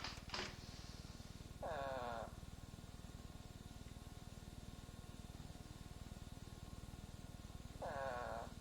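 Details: An eastern spadefoot's call, played as a reference in an Ohio frog and toad survey guide: short, nasal, groaning calls about six seconds apart over a low hum.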